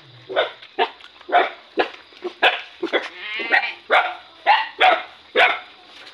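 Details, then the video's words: Hungry puppy crying while being fed, giving a steady series of loud, wavering yelp-whines about twice a second, each rising sharply then fading, with a faint constant hum behind. "feeding hungry puppy"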